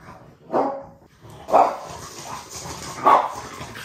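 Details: French bulldog at home demanding to be taken for a walk: three short, sharp barks spaced about a second and a half apart, over a low background hum.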